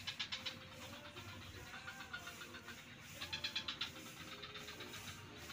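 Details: Frog chorus from the swamps by Kuta beach, Bali: clusters of crisp, grating pulses, loudest at the start and again near three seconds, with a constant low drone of distant engines beneath.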